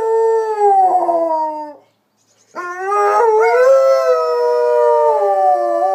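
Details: Luna and Hudson, a pair of dogs, howl on hearing a siren: a held howl falling slightly in pitch, a brief pause, then a louder wavering howl that rises and holds with overlapping voices.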